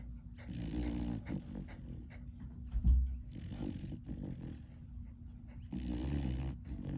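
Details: Three-month-old megaesophagus puppy at a rescue sanctuary in Mays Landing, sleeping and tired after visiting day, snoring: low rumbling snores in slow repeated bursts, each with a raspy breathy edge.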